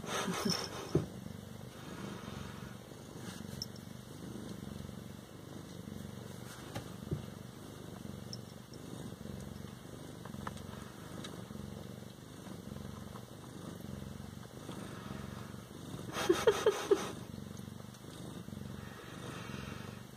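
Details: Siamese cats at home, continuous low pulsing purr for the whole stretch, with a faint steady electronic tone and brief clicks and rustles near the end.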